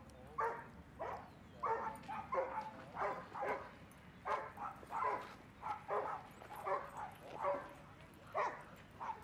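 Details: Dog barking at Seal Point Dog Park on an overcast day, dogs playing with playmates; a steady run of about fourteen sharp, mid-pitched barks over nine seconds, spaced roughly every half second to second, with faint background noise.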